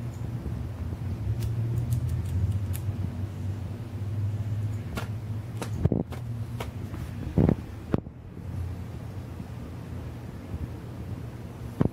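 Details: Low rumbling hum indoors, broken by several sharp clicks and knocks, with no animal calls.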